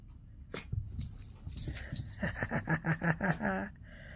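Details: Tiny Chihuahua puppy, excited during playtime with a ball, letting out a quick run of about six sharp, high yips in just over a second, with a collar bell jingling and soft thumps of play around it.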